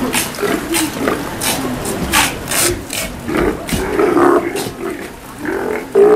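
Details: Captive Steller sea lions at Kamogawa Sea World, Japan, during feeding time on 2 January 2017: hoarse, throaty roars in short bursts, mixed with splashing and crowd chatter.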